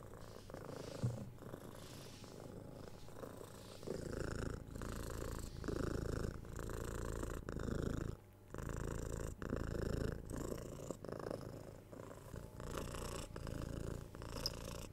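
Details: Six-month-old kitten purring while cuddled, kissed and scratched on the head, captured on a binaural 3DIO microphone; steady low rumbling purr pulsing with each breath, quieter for the first four seconds, then fuller, with soft handling rustles and brief pauses.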